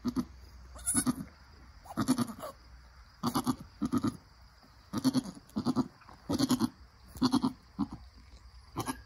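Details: A Nigerian Dwarf mother goat encouraging her newborn doeling: about a dozen low, throaty, pulsed grunting calls, evenly spaced roughly every half second to second, with faint background hiss.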